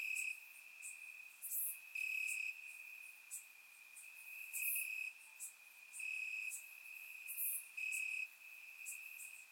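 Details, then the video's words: Crickets chirping in grass on a warm summer night in Bulgaria, recorded with a surround microphone: a steady high trill with louder bursts every couple of seconds, plus brief higher ticks and insect clicks above. "Cricket Sounds - Crickets Chirping at Night"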